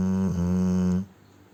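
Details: Sleeping Cane Corso Ponchik giving a single sustained, humming low snore of about one second that cuts off abruptly into quiet.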